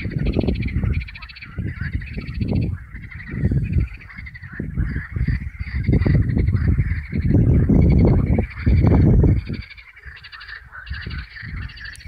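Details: Frogs calling at a temporary pond in springtime: a dense chorus of low, hoarse, honking croaks, rising and falling in overlapping bursts, with a steady higher buzzing band running underneath throughout.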